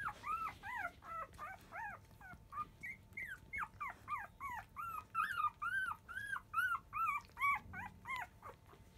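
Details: Field-line Labrador Retriever pups at five days old, making a commotion at the start of feeding in the early afternoon; dense, rhythmic high whining cries about two per second, rising then falling, several pups overlapping.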